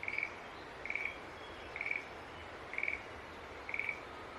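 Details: Green tree frog calling: short, bright chirping notes, each a quick trill, repeated about once a second at an even pitch over soft steady background hiss.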